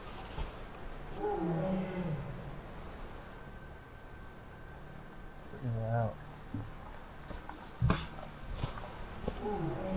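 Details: Two tigers call to each other at night right by a forest camp tent, with deep, moaning roars that rise and fall.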